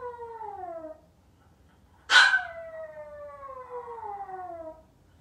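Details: Maltese puppy alone in the house, waiting for family to return. A falling wail fades out. After a brief gap, a sharp burst leads into another long, mournful howl that descends steadily for nearly three seconds.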